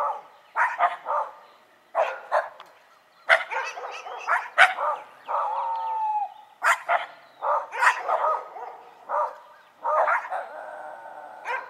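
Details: Several dogs, a Shiba Inu and a Schipperke, bark together in a noisy exchange: sharp overlapping barks and yips in quick bursts, with a drawn-out whining howl around the middle and short pauses between volleys.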